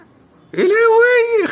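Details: Cat giving one drawn-out, loud meow of almost a second, held at a steady pitch with a slight rise and a quick drop at the end; people talk just before and after.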